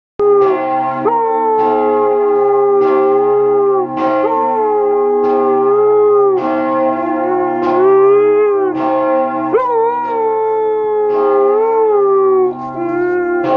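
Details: Siberian Husky Chico howling along with ringing church bells, a long wavering tone that rises and falls under loud, regular bell strikes every second or so throughout.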